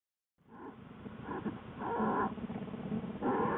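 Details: Newborn cubs with their mother Lily, an American black bear, inside the den in February 2013: a run of harmonic, nasal cries and squalls, growing louder and more continuous toward the end.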